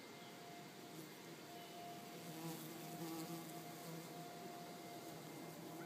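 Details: Mining bees nesting in bare soil under a porch buzz steadily, a low droning hum with a thin higher whine riding above it.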